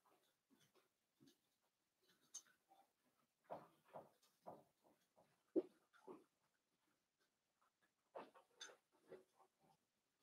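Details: Five young blenheim Cavalier King Charles Spaniel puppies in an indoor pen, born around New Year's Day: a busy string of low grunts, snuffles and short squeals in uneven bursts, with brief quiet gaps.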